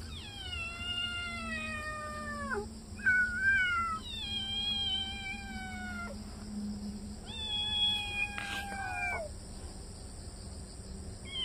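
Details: Kitten in its yard loudly chasing off a larger cat. It gives long, drawn-out yowls, each holding a steady tone and then sliding down at the end. The yowls are spaced a few seconds apart over a steady background hum.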